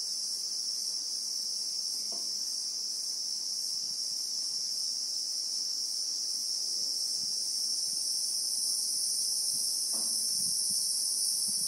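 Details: A sustained shrill buzz of Christmas beetles rings without a break over South African bushveld, in real time; two brief sharp clicks or rustles break through around the second and tenth seconds.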